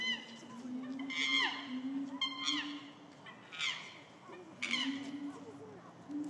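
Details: A young female chimpanzee screaming at Higashiyama Zoo in March 2024, after rain: loud, harsh, rising calls in bursts over a steady low mechanical hum.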